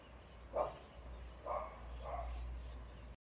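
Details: Small female dog barking while bouncing on her trampoline: three abrupt barks, the first loudest, followed by two softer ones close together, with a constant low rumble behind.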